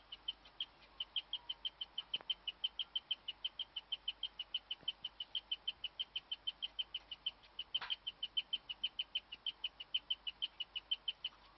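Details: A female guinea pig in the dark gives a rare, steady chirping of high, bird-like notes about three times a second. She kept it up for ten minutes while the other guinea pigs froze in place.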